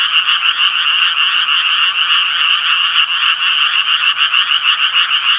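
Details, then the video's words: Tree frogs croaking together in a loud, continuous chorus of fast, grating pulses, about three each second, the overlapping voices keeping a constant level from start to finish. "청개구리 울음소리"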